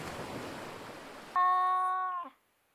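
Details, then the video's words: Domestic cat uttering a single level, tonal meow of about one second that ends in a short downward slide, preceded by a stretch of broad hissing noise. "The Ultimate Animal Sound Cast: Cats"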